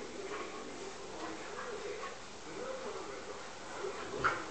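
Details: Two Alaskan Malamutes grumble and whine in wavering, talkative tones while play-fighting.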